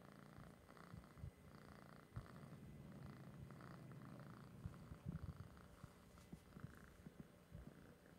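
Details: Noah, an orange cat, purring over treats; a continuous quiet low-pitched purr with rhythmic pulses carries through the whole stretch, overlaid by light clicks and rustles.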